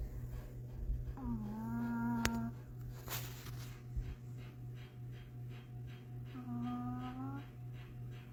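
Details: Small pet dog snoring loudly during a Sunday nap, two sustained humming snores about five seconds apart, with a sharp click between them and a steady low room hum throughout.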